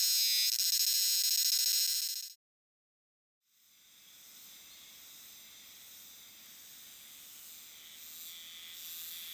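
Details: Euterpnosia chibensis cicadas in a great chorus in a dark shrine and temple forest, a dense, shrill 'jiwaa jiwaa' buzzing for two seconds, then a cut to near silence and a faint, distant, steady buzz.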